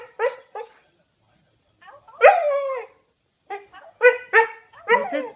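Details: Siberian Husky puppy vocalizing toward its owner's mother on a speaker phone, said to be saying "mama": short harmonic yips, then a drawn-out wavering howl-like whine, followed by a burst of rising and falling yowls and yips.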